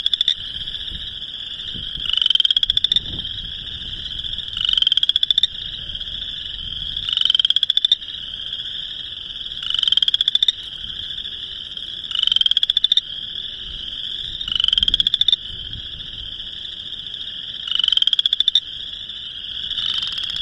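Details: Mating calls of Boreal chorus frogs, Northern Illinois, March 2021: one near frog gives about eight crisp, rising, pulsed creaking trills, evenly spaced around every two and a half seconds, against a continuous distant frog chorus.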